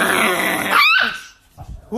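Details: Chihuahua in a funny dog compilation: a noisy, rasping growl leads into a quick, rising-then-falling yappy bark, which fades to quiet with soft thumps at the end.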